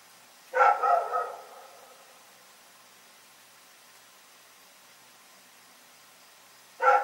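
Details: Rex, a dog, barking in the night: a loud double bark at the start, then quiet, then one more sharp bark at the very end. Background otherwise still.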